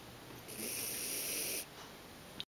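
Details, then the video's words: Snoring of Lily, a Bolognese dog asleep in a small room: one long, rasping, airy snore of about a second that swells and then cuts off, followed by softer breathing and a brief click at the end. "Lily bolognese dog snoring"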